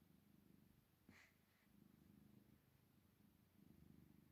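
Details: Two tired tabby cats purring as they fall asleep, a low, steady, rumbling drone with one brief higher chirp.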